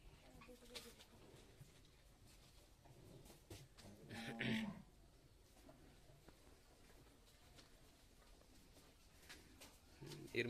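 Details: Two-day-old Sahiwal bull calf, bred from 100% Sahiwal semen, at Gangni upazila, Meherpur, Bangladesh, gives one short, low, harmonic moo partway through; the rest is near-quiet with faint clicks, light rustling and a sharp knock at the end.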